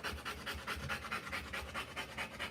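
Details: Rottweiler mother panting during the live birth of her puppies, having drunk plenty of water; quick, even breathy pants about five a second, airy and hissing, steady throughout.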